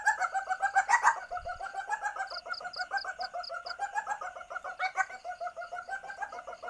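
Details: Asian palm civet in heat giving a lure call: continuous quick, nasal clucking pulses, evenly repeated about three to four per second, with one short series of sharp high chirps in the background.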